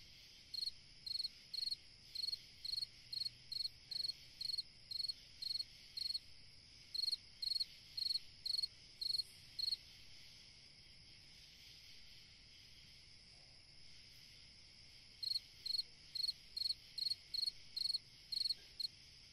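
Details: Night-time summer cricket chirping in regular bursts about twice a second, pausing for several seconds midway before resuming, above a constant high-pitched insect chorus.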